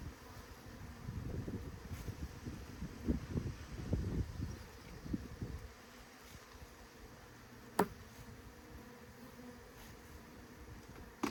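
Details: Honey bee swarm during scooping: a droning hum with rustling handling noise for the first six seconds, then a quieter, softer buzz with two sharp clicks near the end.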